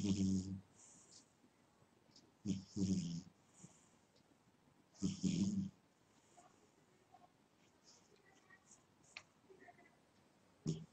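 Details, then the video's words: Sleeping house cat giving short, low, grating snores at irregular intervals, two close together near the start and another after a pause, then fainter breathing sounds. "My Snoring Cat"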